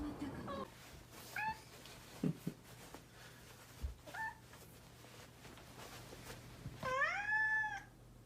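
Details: Cheeky domestic cat making a few soft, chirpy little mews among scattered taps and knocks, then a loud, full meow that rises and falls for nearly a second near the end.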